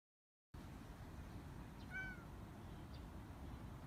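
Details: A female brown-and-white American Shorthair cat, indoors and looking out a window, calls to birds; she rarely meows. One short, soft meow, falling slightly in pitch, rises out of a steady low background hum.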